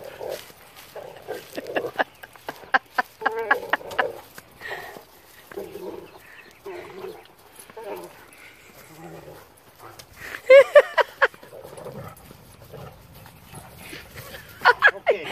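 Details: Seven-month-old blue Great Dane puppy, just bathed and not wanting to go home, gives rough, rumbling play growls mixed with whines while people talk nearby.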